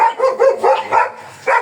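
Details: Black German Shepherd Dog at a stud service in Manaoag, Pangasinan, giving a fast string of four or five sharp barks in under a second, then a brief pause before one more bark.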